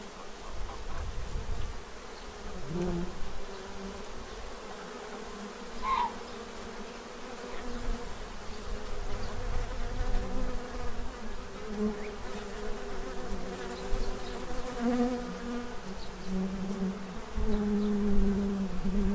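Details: Bees feeding from a tray to stock up for winter in Central Illinois: a low droning hum that swells and fades as individuals pass close, with a brief higher chirp near the middle and a soft background rumble.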